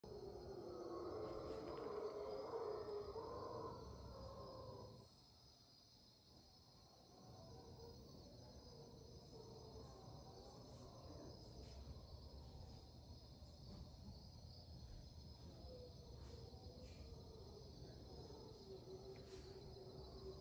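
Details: Mantled howler monkeys in the Panamanian rainforest dawn chorus at 5 a.m., 8 March 2023, give deep, breathy, rasping roars that swell and fade in long rolling bouts, loudest at first, over a constant high insect drone.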